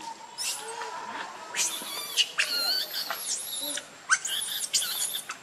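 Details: Baby monkey Leo cries, hungry and begging its mother for milk: a run of high, thin wavering wails with bright overtones, some rising and falling in arched sweeps, broken by short pauses and a sharp squeak.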